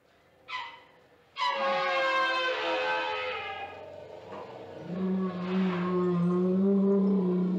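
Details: An African elephant in Zimbabwe opens with a short rough burst, then gives a loud, brassy roar that slowly falls in pitch, followed by a deeper, held, rumbling bellow rising slightly at the end.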